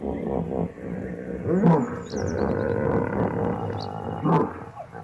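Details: Hippopotamus bellowing in steady, deep rumbling pulses with rasping honks rising in the middle and near the end. Birds chirp and whistle faintly overhead.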